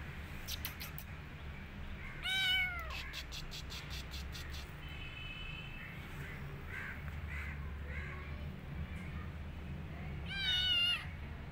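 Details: Tabby-tagged kitten hiding in a jacket gives two arched meows several seconds apart, separated by rapid clicking taps and rustling, low hum throughout.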